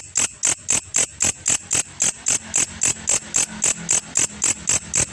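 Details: Grasshopper (belalang kecek) kept as a training sound for songbirds, producing a steady train of high, scratchy chirps nearly four per second, the pulses softening slightly midway over a faint low hum.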